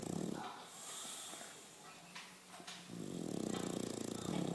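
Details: English Bulldog asleep and snoring: a rough, vibrating snore fades out at the start, a quiet pause with faint clicks follows, then another long grating snore builds and continues to the end.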